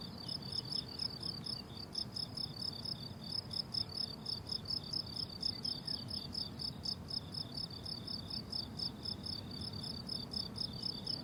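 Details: A chorus of crickets on a flowering summer meadow keeps up bright, rhythmic high chirping, pulse after pulse with only brief gaps, while a gentle low rumble sits far beneath.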